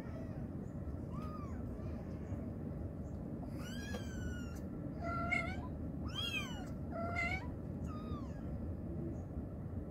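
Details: Mother cat calling her kittens, giving a run of rising-and-falling meows, some overlapping, mostly in the second half, over a constant low background hum.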